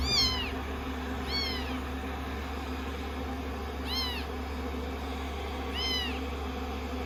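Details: Rescued kittens at day 16, cuddling on a lap after being shampooed and dried, give four clear, high meows that drop in pitch, spaced one to two seconds apart, against a steady low drone.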